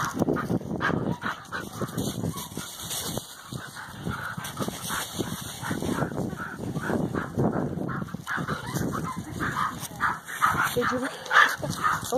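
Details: Several Standard Poodle puppies playing in fallen leaves, crashing into each other; short yips and whimpery noises over steady crunching and rustling of leaves, with a woman's voice and laughter nearby.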